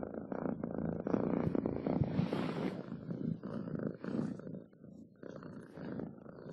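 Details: Domestic cat purring in uneven rumbling bursts, loudness rising and falling, with some breathy higher noise partway through.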